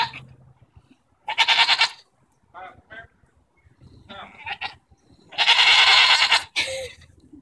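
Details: Quarrelling goats, June 24, 2014: a loud nasal bleat, then short muffled grunts and cries, then a long, harsh, trembling bleat ending in a brief squeak-like note.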